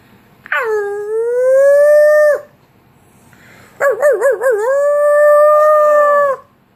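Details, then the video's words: Two drawn-out howls from a pug, separated by a short pause. The first howl rises into a long, level tone. The second opens with a quick wavering warble before settling into a sustained, even note that fades out. "Sneezing and howling pug"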